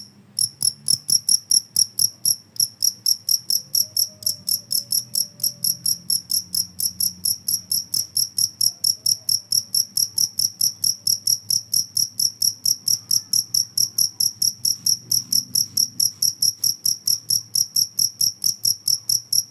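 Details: Cricket chirping in a recording meant to drive rats away: a steady run of sharp, high chirps, roughly two per second, with a faint low hum beneath.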